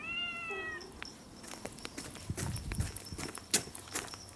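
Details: Hungry domestic cat meowing loudly for food: one clear, slightly falling meow lasting under a second, followed by clattering, tapping and rustling noises indoors.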